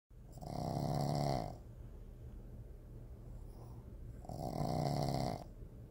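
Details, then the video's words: A female Boston Terrier snores in long, rasping breaths, each rattling inhale lasting over a second. "Boston Terrier Snoring (Cindy)"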